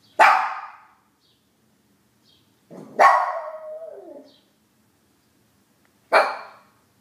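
A Shih Tzu gives sharp barks, one trailing into a brief, falling, wavering howl.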